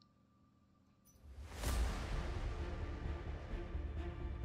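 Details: Near-silent room tone gives way to a loud whoosh and booming dramatic music.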